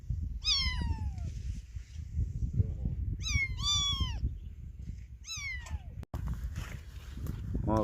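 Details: Baby cat that lost its mother giving loud, piercing meows in clusters of one to three, each falling in pitch, with low murmuring voices and a sudden brief cut near the end.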